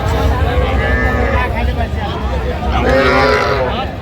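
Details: Small young bulls and heifers at a livestock sale, one two to two and a half months old; a hoarse, harmonic moo rises twice over a steady hum of crowd talk and bargaining voices.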